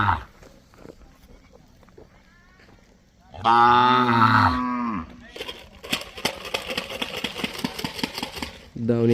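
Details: Khillar or Mysore calves at a Maharashtra cattle market: one loud, harmonic moo lasting about a second, followed by clattering, bustling market noise and voices.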